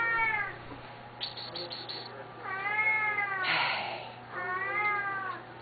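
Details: Two loud Siamese cats at feeding time give long, drawn-out meows that rise and fall, calling for food, a routine they perform three times a day.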